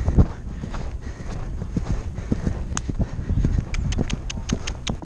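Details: Dull, rapid galloping hoof thuds from a Percheron mare on a clear Novice cross-country run in New Jersey, captured on a helmet camera, with constant wind roar and a few sharp knocks.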